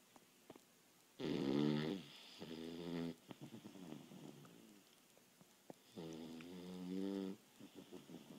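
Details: Boston Terrier napping after a long day of running and playing: a loud, rattling snore, a shorter wheezy follow-up, then another long, harsh snore several seconds later, with small snuffles and clicks between.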